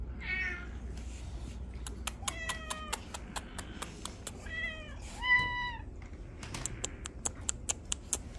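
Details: Domestic cats at a cat shelter during an afternoon visit on 15 December 2023, meowing as they are greeted; several harmonic meows, some falling and some rising, over repeated sharp clicking taps and a low room hum.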